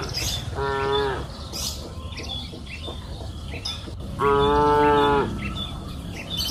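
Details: Cattle on a green pasture hill in the afternoon give two drawn-out steady moos, with birds chirping in the background.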